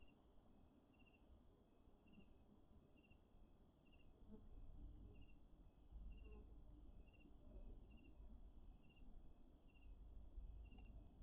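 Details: A Wahlberg's epauletted fruit bat (Epomophorus wahlbergi) in a Pretoria city garden gives short, metallic pings about twice a second in a steady series, over a heavy low rumble of wind or background noise.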